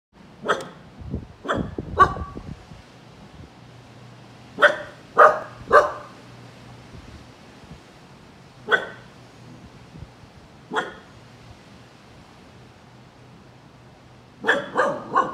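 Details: A Siberian Husky puppy barks at a rubber ducky, giving high, sharp barks in short irregular bursts of two or three.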